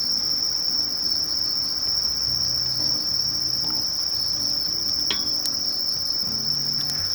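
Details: Conocephalus melaenus katydid from Japanese bamboo-grass thickets producing a constant high sizzling trill, interrupted near the end by a few brief sharp clicks or taps.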